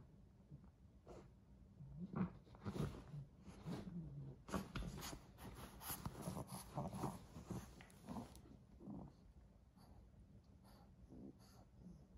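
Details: A 10-week-old English Bulldog puppy growls and snorts while playing with a toy indoors, low rumbling bursts with breathy snorts and scattered clicks and rattles from the toy.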